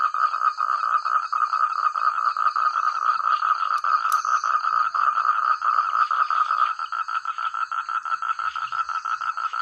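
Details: Chorus of many frogs in countryside paddy fields, each with its own voice; crowded overlapping croaks that later resolve into a regular fast pulsing rhythm, with a thin steady high whine and a brief click.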